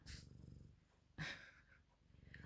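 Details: Canadian Sphynx cat snuggling up to keep warm, purring in a steady low rumble through most of the moment, broken by a couple of sharp rustling bursts.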